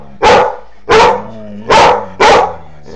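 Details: Maxie, a three-year-old Doberman Pinscher, barks in anger at a foster puppy: four forceful, harsh barks spaced about half a second apart, with a faint trailing yip at the end.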